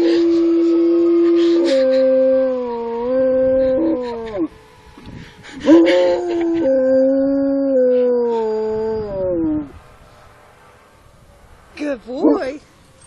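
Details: A pet dog howling along with a passing fire truck siren: long sustained tonal howls with harmonics, each lasting about two to four seconds and slowly falling at the end, then a short wavering whine near the close.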